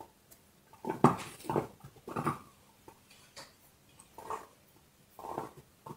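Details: Pet dog working at a bone indoors: a few strong crunching bites close together, then softer, scattered gnawing sounds with longer pauses between them.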